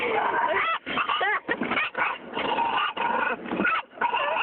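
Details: Pet dog, female, barking wildly inside a car during a car wash; short choppy yelps and squeaky whines come in rapid bursts, nearly continuous, over loud rushing water and brush noise.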